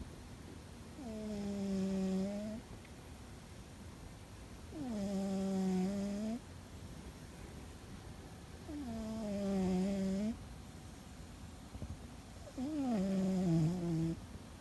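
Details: A sleeping cat named Fuzzy, seemingly dreaming, snores loudly indoors: four drawn-out, harmonic, nasal tones, each about one and a half seconds long, separated by quiet pauses of roughly two seconds, sagging slightly in pitch at the end.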